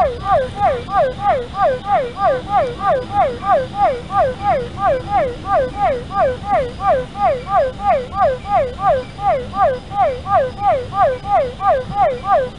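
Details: Physalaemus cuvieri, Cuvier's foam froglet, calling at the São Paulo Botanical Garden, Brazil, 12 December 2018: a steady, even series of nasal, down-slurred notes, about three per second, loud and continuous throughout.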